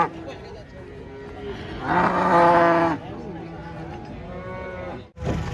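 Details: Huge bull unloaded from a truck, called dangerous, so handlers must take care. One loud, steady, full-throated moo lasting about a second rises out of a murmur of voices, with a thump near the end.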